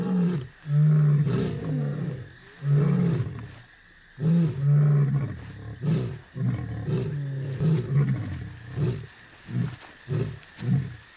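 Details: A lion roars at night in the Masai Mara, Kenya: deep, long moans, then a run of shorter grunts, carrying many kilometres to warn outsiders away from its territory.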